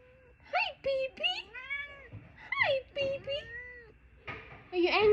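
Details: Talkative pet cat indoors, giving a string of short rising and falling meows, some bending upward, others sliding down, with brief pauses between, mixed with a person's voice speaking nearby.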